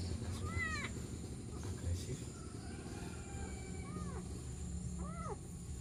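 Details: Kitten crying for help by a roadside near rice fields in the morning. Thin, arching meows sound at the start, around four seconds and near the end, over steady low background hum.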